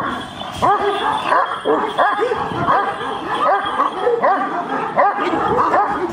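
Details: Aggressive giant Kangal dogs barking at one another, a steady stream of deep, rough barks from more than one dog, roughly two or three a second, with brief quieter gaps.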